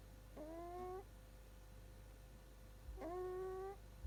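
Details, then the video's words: Shiba Inu puppy asleep, snoring in two long whistled breaths that bend gently upward with layered overtones, separated by a quiet pause of about two seconds, over a constant low hum indoors. "いびきをかく赤ちゃん柴犬がかわいい Snoring puppy"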